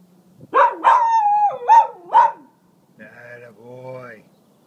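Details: Zotz, a small pet dog, warns coyotes away from the property: four loud, drawn-out, howling barks in quick succession, each sliding down in pitch, followed by a quieter, fainter wavering sound.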